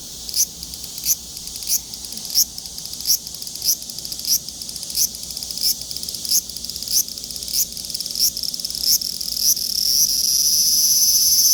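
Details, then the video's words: Large brown cicada giving a high, sizzling buzz broken into pulses every half second or so, merging near the end into a steady, louder hiss. "유지매미 울음소리"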